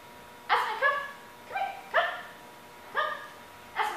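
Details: One-year-old female German Shepherd before training: six short, rising, harmonic yelping barks across four seconds, spaced about half a second to a second apart, against a quiet background.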